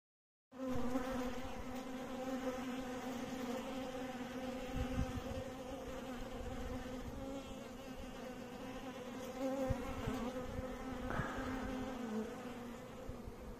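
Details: Bees making a steady, low droning hum that holds an even pitch throughout, with faint knocks and rustles underneath.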